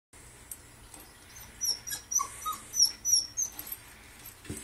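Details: Golden Retriever puppy meeting a person gives a quick series of short, high whimpering squeaks, rising and falling, over a steady low background hum.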